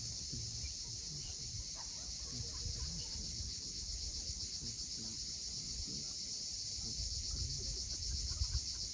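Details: Cicadas calling at sunset on the steep sea coast of Cape Fiolent, Crimea: a steady, unbroken high shimmering buzz that fills the whole stretch, over a low rumble of waves and faint scattered sounds below.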